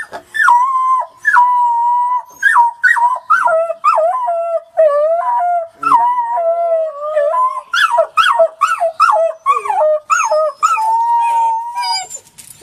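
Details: Several wolf pups howling together in short, overlapping wavering notes, each bending up or down, broken by quick yips and whimpers. The calls come in rapid bursts with brief gaps throughout.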